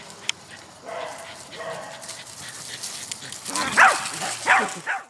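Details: A Shar-Pei (Mr Lee) and a Doberman (Eternal) play together as Jack, a Jack Russell Terrier, tries to join in. Low rumbling noise comes first, then two loud, rising yelping barks near the end, about a second apart.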